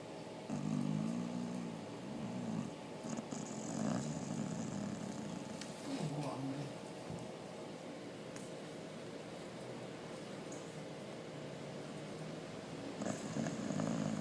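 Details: Sleeping dog Missile snoring in a room: rough, buzzy, low-pitched snores rising and falling in uneven bursts, loudest at the start and again at the end, with faint breathy rustles between.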